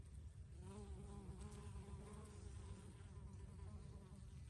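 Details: Bees at flowering basil give a continuous buzzing drone, a layered hum that wavers slightly in pitch as the insects move, over a low rumbling background.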